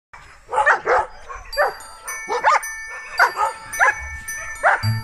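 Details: Siberian huskies at a husky farm give short, yelping calls that rise and fall, repeated about twice a second.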